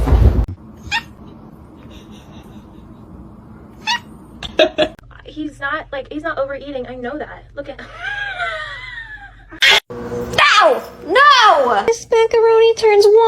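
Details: After quiet room noise and a few knocks, a cat gives a series of rising-and-falling meows, with a louder cluster of arched, whining cries near the end over background speech.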